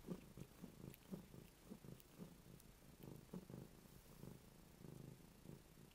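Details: Female domestic cat cleaning her own bed, purring in a low, even throb with evenly spaced pulses roughly every half second, clear and close.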